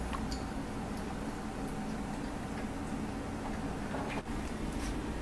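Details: Broadband indoor hiss with a few faint ticks and one short dropout, and no animal sound.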